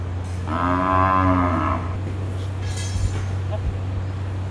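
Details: A Brahman bull calls on seeing his son in front of his pasture, showing territorial behaviour: one long, deep, harmonic-rich moo of about a second, followed by quieter background noise.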